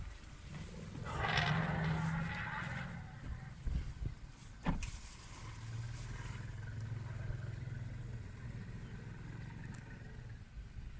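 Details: African elephants with young, clearly unhappy that African wild dogs are at the water they were heading to, chase the dogs with a harsh, brassy blast and later a low, steady rumble over engine noise.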